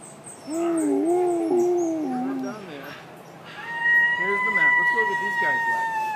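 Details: Captive New Guinea singing dogs at Palm Beach Zoo: wavering, warbling howls with a yodel-like quality, then a long steady high tone joined by lower undulating notes from another dog.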